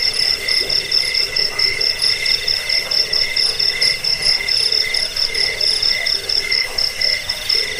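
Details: Crickets chirp in chorus in a recording offered to drive away rats, aid sleep and serve as a model for training songbirds. Shrill pulsed trills overlap at a few pitches, with a brief lower tonal note near the start.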